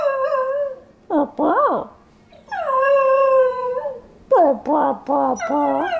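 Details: Singing pet dog: a steady sustained howl, wavering yips that rise and fall sharply, then another long even howl and a run of quick bending yelps.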